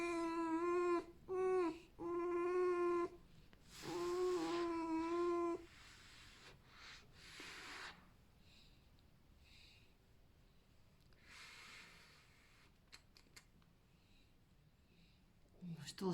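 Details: Alf, a happy, content pet red fox, squeaks because he wants hugs and petting, not from pain. Three loud, sustained, nasal whining squeaks with rich overtones fill the first six seconds, followed by quieter rustling and handling noises.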